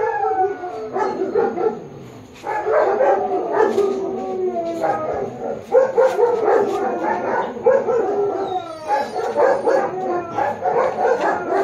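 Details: Japanese Akita at a dog photo shoot in Baguio City on October 21, 2023, giving loud harmonic barks mixed with yelping, howl-like sliding cries in bursts roughly every second, continuing steadily for several seconds.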